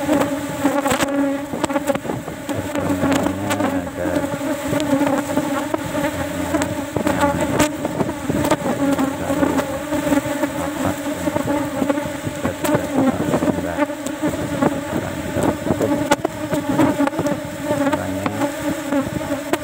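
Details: Asian honey bees in an opened cultivation box during the last of four harvests that day, little honey present; unbroken droning buzz with strong overtones, overlaid by repeated sharp clicks and rustling handling noise.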